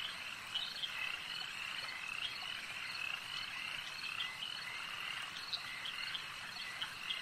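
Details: Lake ambience dominated by a frog chorus: numerous overlapping high croaking calls form a steady drone, punctuated by distinct louder notes about once or twice per second.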